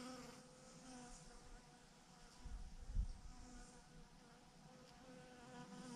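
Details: Quieter, distant-sounding hum of a honey bee swarm clumped in a huge mass on a branch; an even droning buzz with faint overtones and a brief low thump midway.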